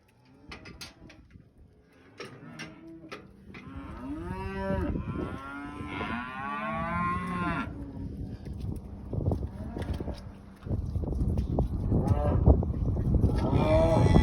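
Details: Limousin cross British Blue show heifer, 14 months old and 534 kg, mooing repeatedly with low drawn-out harmonic calls, some rising and falling, amid rustling and handling noise that grows louder toward the end.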